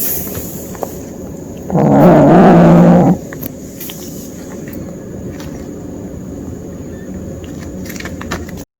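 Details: Kitten growling during hunting play, a single low, rough, sustained growl lasting about a second and a half, surprisingly deep for its small body, with faint room rumble and light clicks around it.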